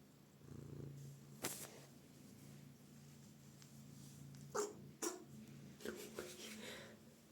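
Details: Cat sneezing: sharp, explosive broadband bursts near 1.5, 4.6 and 5 seconds, followed by a quick run of smaller puffs and snuffles, over a low steady hum.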